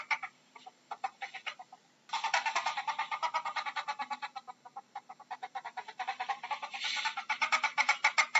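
A ferret makes fast, repeated clucking chatter in quick soft bursts.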